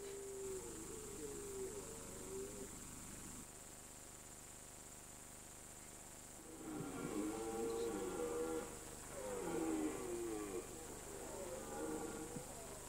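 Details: Red deer calling in the mountain rut, season September to October. A short wavering moan comes first, then after a quiet gap come two longer, rougher groaning roars, each stretching a couple of seconds, over constant hiss.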